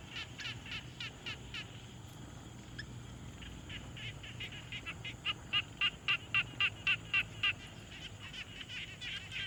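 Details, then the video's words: Frogs at a quiet pond in a field recording made with a Tascam Portacapture X6: rapid trains of short clicky pulses, about four per second, in bursts separated by brief pauses, over a faint low hum. "Frog Sounds"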